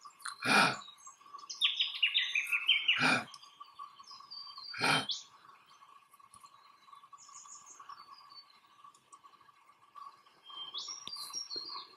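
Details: Dominant male eastern grey kangaroo, Australia, grunting as he stands on his toes and rubs grass with his forepaws; three rasping grunts early on, then quieter, while chattering birdcalls and a steady hum continue.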